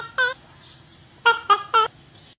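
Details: A single clear otter chirp, a short pause, then three rapid ringing chirps in quick succession, each with layered overtones, against a quiet low background hum.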